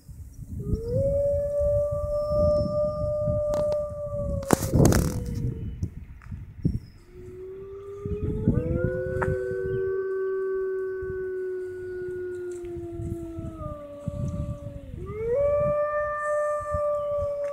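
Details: Captive wolves at the Toronto Zoo's Canadian Pavilion, Canada, howling near closing time: long sustained tonal howls, several overlapping voices at slightly different pitches, with short pauses between phrases and a brief loud knock midway.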